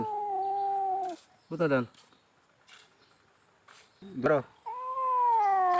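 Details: Cat with a fishbone stuck in its mouth, under treatment to remove it without surgery: a drawn-out, slightly falling meow, then short rough bursts amid people talking, and a second long level meow at the end.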